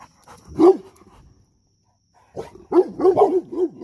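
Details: Guarding dog approached by a pup wanting to be friends, giving one hard bark, a pause of silence, then a fast run of five or six rough, arching barks.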